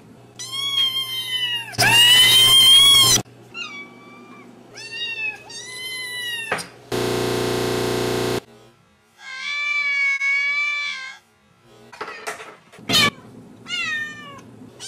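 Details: Cats and kittens meowing in a compilation, each with its own voice: a string of wavering, high-pitched meows of varied length, broken by loud buzzing blocks and an abrupt crackling burst between calls.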